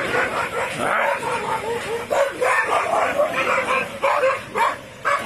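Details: Desi street dogs fighting in India, a dense jumble of overlapping yelps, barks and snarling whines from several dogs, continuous and loud across five seconds, over steady background hiss.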